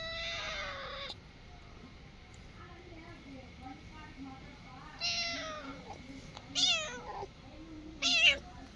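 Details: Indoor cat repeatedly meowing: a long falling meow, a pause, then three more calls close together, the last ones sharper and higher, over low background hum.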